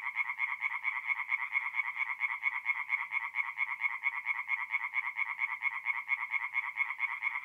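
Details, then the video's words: At a North-East Italian forest pond on an April night, tree frogs sing in a thick chorus of rapid, harsh, rhythmically repeated croaks, pulsing evenly without pause. "relaxing forest pond by night with singing tree frogs"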